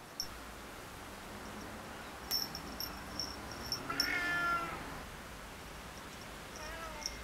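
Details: A female Siamese cat and a male Tonkinese lie lazing in the sun as the male, bored, picks on the female. After faint high chirps, one drawn-out, harmonic-rich meow rises and falls over about a second. Another soft wavering cry closes the clip.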